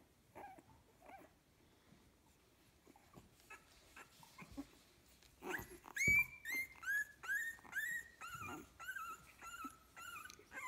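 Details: Fifteen-day-old puppies from a kennel litter: quiet shuffling at first, then from midway a run of loud, high whining squeals, each sliding slightly downward in pitch, repeated about twice a second.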